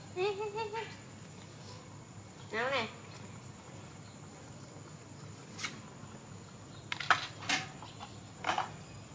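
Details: Donal, a baby monkey, calling to its mother while waiting for milk: a wavering, whining cry in the opening second and a shorter rising-falling whimper near three seconds, followed by scattered clicks and knocks.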